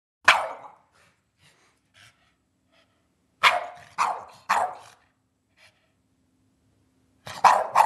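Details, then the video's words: Eddie, a pet dog, barking for his dinner as he does every night at dinner time; a single bark, then three loud barks in quick succession, and a final pair of barks after a quiet pause. "Eddie Barking for his Dinner!"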